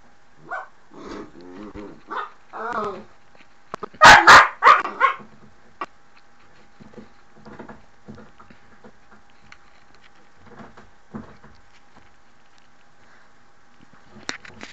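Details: At the door, Mushu the dog opens with a run of nasal, harmonic whines, bursts into a cluster of loud rapid barks around the middle, then trails off into quiet scattered yips and a last short bark.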